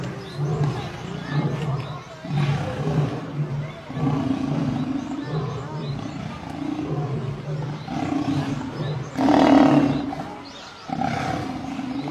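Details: Lionesses attacking a male lion: low, rasping growls and roars in pulses separated by short pauses, with a louder harsh burst near nine seconds and further snarls after.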